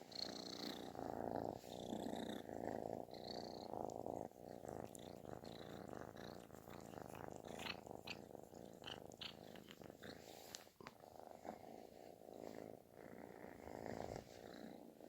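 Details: Affection-seeking kitten purring at snore-like volume; steady rumbling purr in rhythmic inhale-exhale waves, broken later by scattered clicks and rustling handling noises close by.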